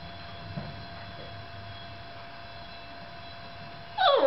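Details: A Yorkshire Terrier left alone with the camera gives one sharp, high bark at the very end after a long quiet stretch.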